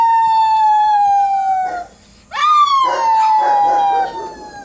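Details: Dog howling meant to get listening dogs to join in; a long, steady howl drifts gently downward and breaks off, then a new howl rises sharply and holds, with faint rough yelps beneath.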